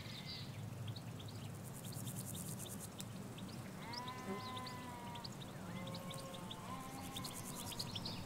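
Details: Ewes and lambs in a Hampshire countryside field, taken in stereo on M5s microphones beside a hedge away from the road: two wavering, drawn-out bleats midway, with small birds chirping and a steady low rumble throughout.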